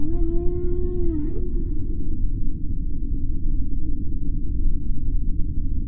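A beluga whale gives a steady, slightly wavering tonal call that drops and fades after about a second.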